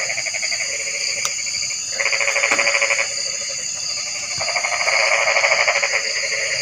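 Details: Frog chorus with buzzy, pulsed trills lasting one to two seconds, overlapping in two main bouts, plus softer background calling. A constant shrill insect hum fills the upper range.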